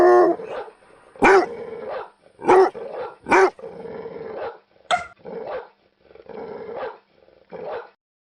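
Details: A dog barking in short, separate harsh barks, some with a growling undertone, spaced roughly every second with brief quiet gaps between.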